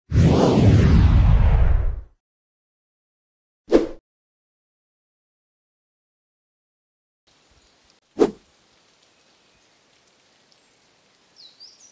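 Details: A loud rushing whoosh for two seconds, then two dull thumps in near silence with faint background hiss, and no clear animal voice.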